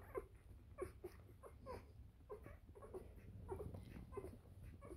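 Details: Newborn Bernese Mountain Dog puppies, three days old, squeak in short bright chirps roughly every half second, some doubled, over low indoor hum.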